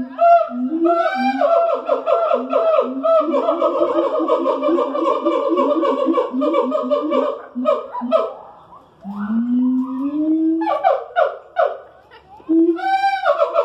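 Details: Captive siamang primates at the Columbus Zoo in the morning give a dense, overlapping chorus of rising hoots and ringing whoops that build into rapid excited notes, then break into long upward-sweeping calls.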